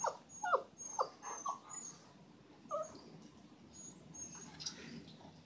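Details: German Rottweiler puppies whimpering: a quick run of short, high, thin whines in the first two seconds, one more pair near the three-second mark, then only soft rustling and steady background hiss.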